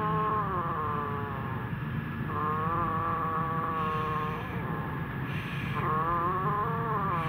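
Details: Kittens eating food in fear give long, drawn-out, wavering mews, several overlapping or following close together, each lasting one to two seconds, over a steady low hum like an engine.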